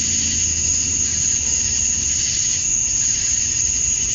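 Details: Male cicadas calling to attract females at dusk on a summer night in Georgia, USA: a dense, unbroken high buzzing chorus with a steady piercing whine on top and faint low rumble beneath.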